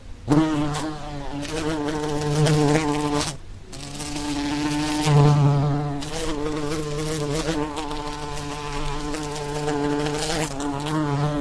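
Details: Continuous low drone of buzzing flies over about eleven seconds, the hum wavering slightly in pitch, with one short drop-out near three and a half seconds and swells in loudness throughout.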